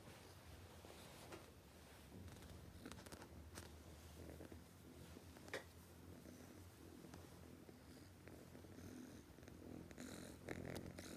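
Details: Sleeping cat with a deep, continuous purr-like snore, low and steady, broken by occasional soft clicks and rustles nearby.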